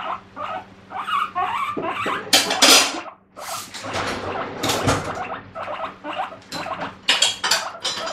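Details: Guinea pig kept as a pet, making a noisy morning fuss demanding vegetables: bursts of shrill squeals and wheeks, uneven in rhythm, mixed with rustling and clattering of bedding.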